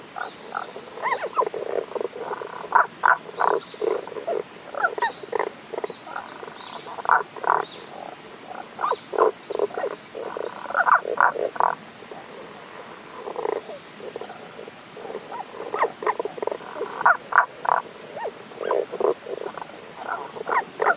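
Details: Tago's brown frog calling, unseen, from a stream in the Kanto region, Japan, on 1 April 2021: dense runs of quick, grating pulsed croaks in steady volleys, pausing briefly between series.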